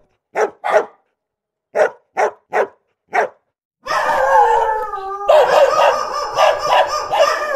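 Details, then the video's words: Real recording of angry dogs: five separate sharp barks with silent gaps between them, then a sustained, harsh, wavering howl-like cry that continues to the end. "Dog Barking Sound"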